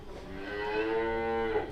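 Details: Cow kept in a small stable attached to a house in a village near Batu, East Java, Indonesia, giving one drawn-out, rich harmonic moo that swells gently and holds steady before fading, lasting under two seconds.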